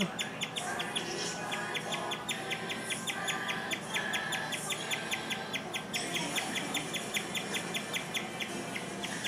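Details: Indoor pet guinea pig chirping at length, an uncommon event for this animal. A long run of sharp, high, evenly spaced chirps comes roughly two or three per second, with a brief pause near the middle and low background room noise.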